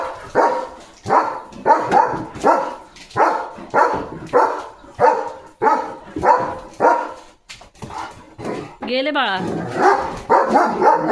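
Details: Leo, a German Shepherd pet dog, plays with a water mug held in his mouth while barking in steady rhythmic bursts nearly twice a second; a person talks over the barks and a brief whine-like sound breaks in near the end.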